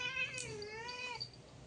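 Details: Drawn-out cat meow, strongly harmonic, dipping lower in the middle before rising again and breaking off, then fading into quiet room hiss.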